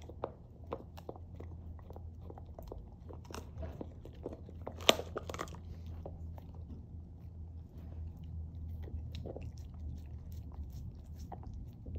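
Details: Steady crunching, biting and chewing noises fill a small indoor room, with sharp cracks scattered throughout and a louder burst near the middle. No calls or other voices stand out.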